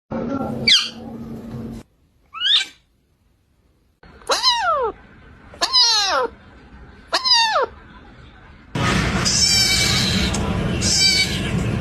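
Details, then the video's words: Cats and kittens meowing in a compilation themed around a storm: high, arched harmonic meows in quick succession, several rising-falling cries, ending in a loud burst of broadband noise like wind or rain. "Talkative Cats & Meowing Kittens | Cats vs The Storm"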